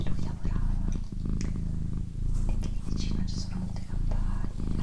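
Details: Female pet cat purring close up during a relaxation recording, a steady low rumble that swells and fades with each breath, with soft human whispering and light clicks and rustles over it.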